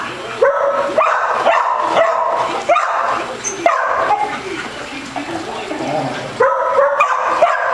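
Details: Basset Hound at play with a ball at a dog day care in Las Vegas, Nevada; loud, tonal barks in clusters, some with a rising bend, separated by quieter gaps with faint room sounds.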